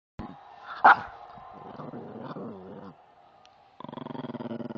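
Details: Angry puppy making a sharp yelp-like bark, then wavering whiny growls, a short pause, and a buzzy pulsed growl rattling rapidly to the end.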